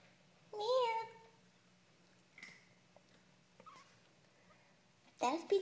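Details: Three-week-old kittens, born 4/12/2012, give two high, wavering meows indoors: one long rising-then-falling cry near the start and a sharper, shorter one at the end, with faint soft knocks and a murmur of voices between.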